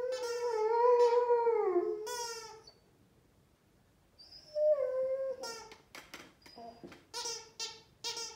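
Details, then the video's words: Amba, a Rhodesian Ridgeback, sings with a squeaky toy. A long, wavering, tonal howl lasts about two seconds, then a brief follow-up note. A second, slightly rising howl comes next, then a run of short, sharp squeaks from the toy. "Amba the ridgeback Dog singing with squeaky toy!"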